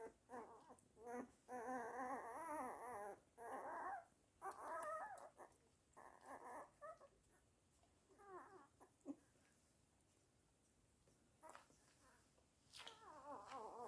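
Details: Indoors, a Weimaraner cries in drawn-out, quavering whines broken by pauses, with a few short squeaks, then quieter stretches and a final rising whine.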